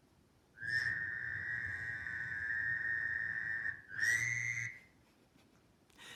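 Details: A Fowler's toad at Camp McDowell, Alabama, early in frog and toad season, gives a long, high, nasal bleat, like a tiny sheep or a distant tiny airplane.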